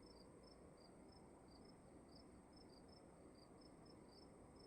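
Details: Night-time crickets indoors in a dark room: quick, bright chirps spaced about every half second, one caller a little lower than the other, set against a dull, even background hiss.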